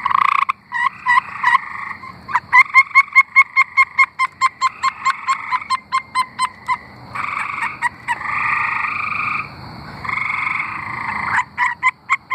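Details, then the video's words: Tree frogs singing in Arkansas: a fast series of sharp clicking pulses speeding up, then long buzzy trills from several frogs overlapping, with a steady high background tone. "Singing tree frogs"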